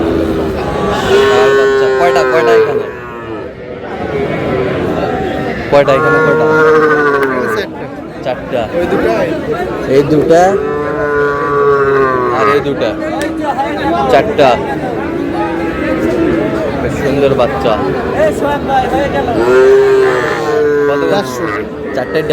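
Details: Sahiwal bull bought by a farmer in Comilla, Bangladesh, on 25 April 2026; long, low moos recur roughly every four to five seconds, with men talking constantly in the background.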